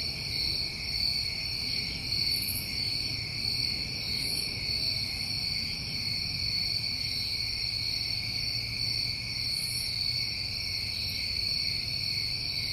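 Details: Steady insect chorus of New England summertime crickets after dark, high ringing trills layered and unbroken, scattered faint higher chirps, with a low background hum.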